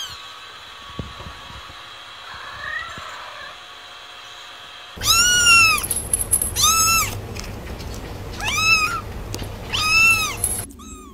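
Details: After a quiet stretch with a faint distant mew, kittens burst into rapid high-pitched meowing, several short arched calls crowding together in bursts against a low hum.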